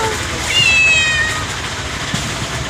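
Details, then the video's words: Domestic kitten giving one thin, high, drawn-out meow that slides slightly downward, with a quieter second cry trailing off, over a low background hum. "Natural Sound of Pussy Cat 🐈 Cute Baby Cat"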